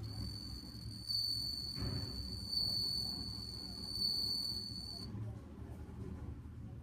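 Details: A bell cricket in autumn in Date, Hokkaido, Japan, just begun singing, gives a high, pure, ringing trill that holds steady for several seconds, then stops.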